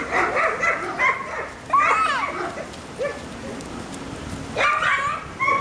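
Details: Hungarian Vizsla puppies from a litter born on 6th October, giving high whining yips and squeaks in overlapping bursts, some sliding upward then falling, with quieter gaps between.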